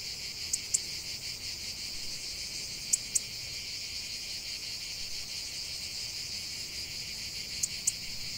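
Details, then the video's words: Shrill, continuous cicada buzzing with a faint rhythmic throb, broken only by a few pairs of crisp clicks near the start, middle and end. "45 min de chant des cigales"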